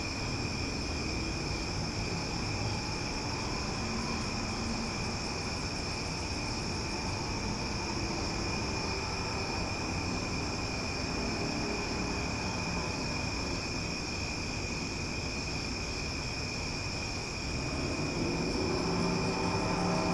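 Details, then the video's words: Loud chorus of cicadas at night in Omaha: a steady, unbroken high buzzing drone with layered bright tones, over a constant low rumble like distant traffic. "Cicada Sounds for Sleep"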